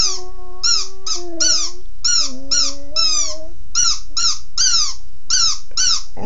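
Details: Sad puppy howling because it wants its toy, a steady low drawn-out tone that wavers and dips across about three and a half seconds, over music with rapid repeated high chirping bursts.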